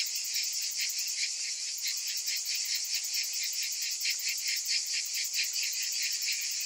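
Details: A high, rasping buzz of summer cicadas swells and fades in slow, loose pulses, roughly one or two each second, over a constant shrill background hum.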